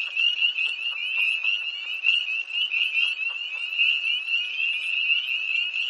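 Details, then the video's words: Tree frogs calling by a pond near Hillsborough, North Carolina, on a cold night, 1 March 2011, heard from a car: a dense chorus of high, upslurred peeps overlapping continuously, with no other clear sounds. "Early Tree Frogs"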